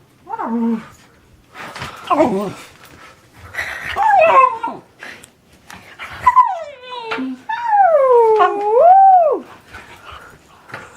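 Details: Dog making goofy vocal sounds indoors: a string of wavering, tonal whines and yodel-like moans that slide up and down, the longest drawn out over two seconds, broken by short snuffly grunts.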